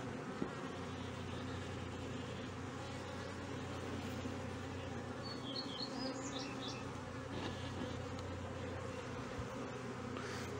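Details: Honey bee colony at Brno in 2022 after the bees destroyed a queen cell that hatched early; a dense, even hum of many bees throughout, with faint high chirps midway.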